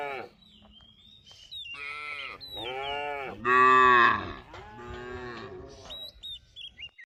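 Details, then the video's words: Cattle wandering a rice paddy while grazing give a series of deep harmonic moos, one louder bellow near the middle, with high chirping birds and a few light clicks toward the end. "Suara Sapi Lembu Lucu"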